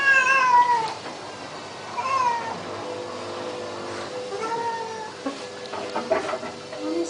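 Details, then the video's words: Baxter, a pet cat, cries while getting a flea bath, clearly disliking it: three drawn-out, falling meows about a second apart at the start, then quieter wavering cries, with a person softly apologising and running water behind. "Cat Cries While Getting Flea Bath"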